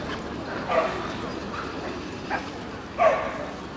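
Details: Central Asian Shepherd Dog (Alabai) entered as number 74 at a dog show in Luhansk on 20 June 2010, giving three short, rough barks that stand out from a steady murmur of voices and show-ground noise.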